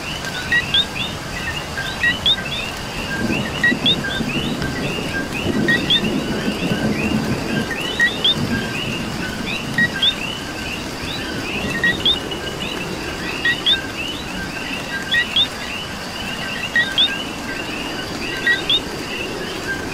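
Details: Dense frog chorus in Puerto Rico rain, with one nearby coqui repeating its clear two-note co-qui, a low note then a rising whistle, about every 1.6 seconds, over many overlapping callers and the patter of rain.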